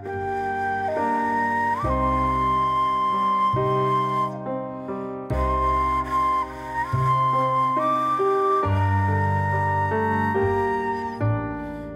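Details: Gentle flute-like melody with steady instrumental accompaniment throughout and no animal sound.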